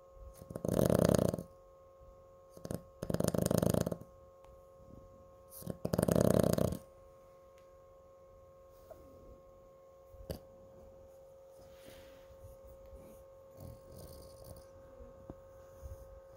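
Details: Cooper, a pet Chihuahua, snores indoors. Three loud, rough, buzzing snores rumble like a motor, spaced about two and a half seconds apart over the first seven seconds. Only soft breathing and faint small noises follow.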